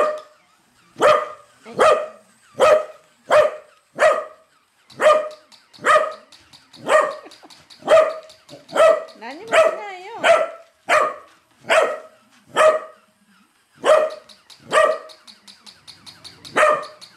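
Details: Pet corgi barking hard at a moving toy corgi, loud sharp barks in a long series, about one every 0.7 seconds with short pauses, roughly twenty barks, faint ticking heard in the gaps.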